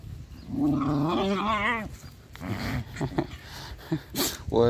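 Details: Stray dogs playing and digging together in a garden: a drawn-out, wavering whine with shaky pitch lasts over a second, followed by human speech and a few short noises.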